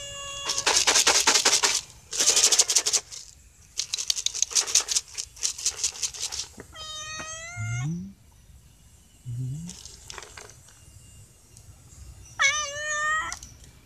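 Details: Stray cats beg for food while dry food is handed out. Loud rattling and crunching fill the first seven seconds, then several drawn-out meows follow, wavering slightly in pitch, with quieter rustles between calls.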